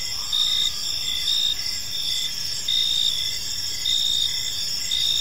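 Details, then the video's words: Crickets chirping on an evening in a peaceful park: a dense, high, continuous trill with pulsing bursts swelling and fading about once a second, several callers overlapping into a steady shimmering chorus. "Cricket Sounds in a Peaceful Park"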